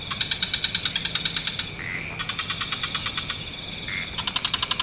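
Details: Frog calls from an evening wetland. Three quick, rattling trains of pulses, each about three per second, are separated by short upward-sliding notes, over a steady background hiss.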